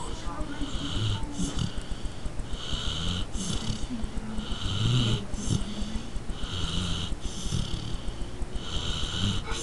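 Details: Carmela, a little pet dog, snoring: breathy rasping pulses repeat about once every second over a low rumbling undertone, with faint murmuring in the background.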